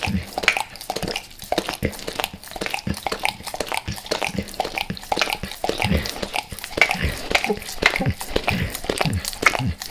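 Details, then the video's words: Close, sticky licking by Max, a dog eager for natural peanut butter and its oil, recorded before he left El Paso; irregular wet clicks and tongue smacks with brief quiet gaps. "Max LIcks Peanut Butter Squares | ASMR DOG LICKING"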